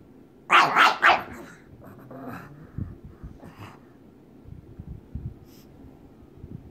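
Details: Waddles the pug wanting to play with May the pug: two loud rough barks at the start, a fainter bark after, then soft snuffling and low growly noises.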